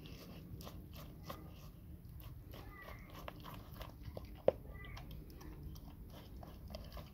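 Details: Labrador Retriever NONA eating a huge grilled sandwich indoors: steady crunchy chewing with irregular sharp bites, one loud crack midway, over a low background hum.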